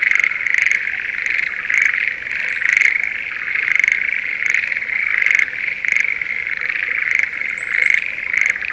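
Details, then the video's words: Breeding-season Schlegel's green tree frogs in a rice paddy near Sendai, Japan: an unbroken high trilling chorus with short clicky pulses scattered throughout and a few faint high chirps near the end. "シュレーゲルアオガエルの鳴き声Voice of schlegel's green tree frog"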